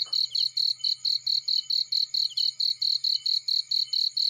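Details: Cricket in a field, a rapid series of high, bright chirps repeating about four times per second at a steady rhythm, with a faint low hum underneath.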